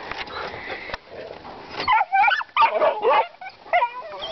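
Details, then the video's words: Puppies barking at hogs while learning hog-baying, one dog caught in a fence with a hog; rough, yelping barks and whines in uneven bursts over background noise and a man speaking. "Puppies barking at the pigs"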